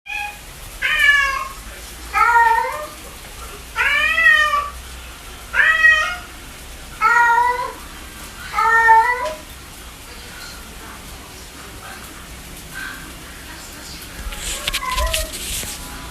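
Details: Domestic cat giving a run of six loud, clear meows spaced about every one and a half seconds, each a rising-then-falling wail with bright harmonics, then a quieter stretch with a few fainter mews and a brief scrape near the end.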